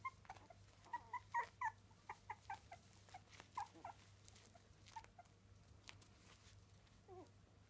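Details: Three-week-old Miniature Dachshund puppies give short, high squeaky whimpers, several in quick succession early on, then scattered single squeaks with pauses, over a steady low hum indoors.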